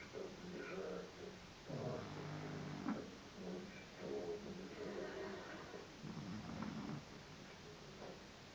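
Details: Pug snoring: soft, raspy rumbling snores rising and fading in slow rhythmic bursts roughly every two seconds, over a faint steady background hiss.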